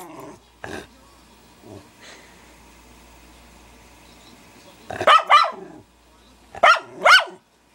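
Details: Male Schnauzer barking at himself in a mirror: two pairs of loud, harsh, quick barks, the pairs about one and a half seconds apart, after a quiet stretch with a few soft thumps and faint background sound.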